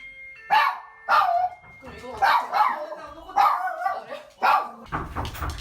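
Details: Guarding dog barking at visitors entering the house, recorded in May during a home training visit; five loud, harsh barks roughly every second, with a trainer's voice and rustling at the end.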